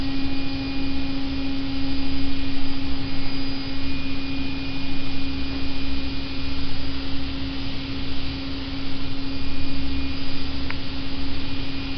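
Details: A steady mechanical hum, like a motor or vacuum cleaner, holds a constant low drone with one faint tonal line and no other sounds.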